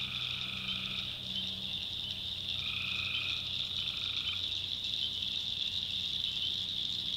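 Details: Night chorus of tree frogs from North Carolina backwoods swampland. An unbroken shrill drone fills the background while two drawn-out, even-pitched calls of about two seconds sound in the first half, with a faint low droning beneath.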